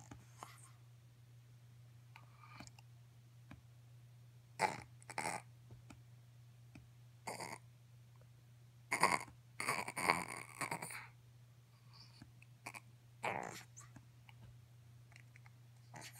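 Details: A Pekingese on a couch gives short, scattered nasal cries, wanting to be helped down, over a steady low hum.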